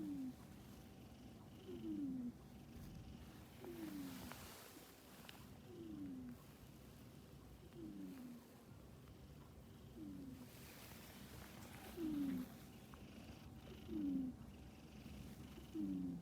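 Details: Snoring male house cat, each low rasping breath dipping in pitch and recurring roughly every two seconds in an even rhythm over faint background hiss.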